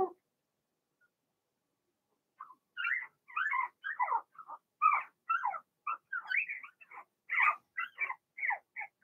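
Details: Litter of six Blenheim Cavalier King Charles Spaniel pups, two female and four male, in their home pen; a few seconds of quiet give way to a busy, continuous chatter of overlapping high yips and squeaky whimpers.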